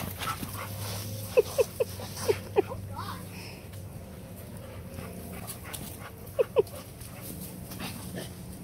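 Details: A Malamute and a Pitbull playing together in a backyard with a pool: a quick run of five short, high whimpering squeaks, then two more a few seconds later, over steady rustling background noise.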